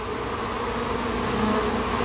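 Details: Honeybee colony that had lived in a wall for a few months, being removed and relocated in Weilheim, Louisiana; the bees were at first a little irritated, then settling. Dense, steady buzzing drone fills the whole recording without break.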